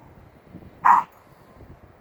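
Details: Shiba Inu puppy, five weeks old, playing outside with other puppies and adult Shibas: a single short, sharp yip near the middle of a quiet stretch, with soft rustling in the background.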